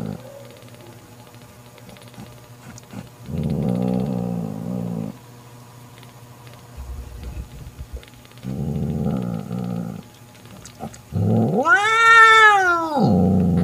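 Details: Domestic mother cat Mocha angrily driving off her sister Kofi, who tried to take her newborn kitten: two low droning growls, then a rising-and-falling yowl that swells into a loud scream at the end.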